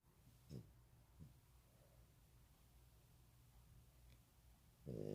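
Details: Pet dog named Strawberry asleep indoors, snoring: short low rough snorts near half a second and one and a quarter seconds, then quiet breathing, ending with a louder, longer harmonic snort at five seconds.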